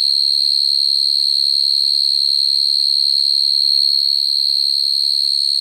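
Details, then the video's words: Field cricket singing at night to call females, a call used for trapping crickets; a constant shrill, metallic trill at a single high pitch, steady and evenly pulsed, with near silence below. "Tiếng dế mèn kêu, dế cơm kêu dùng để bẫy dế chuẩn"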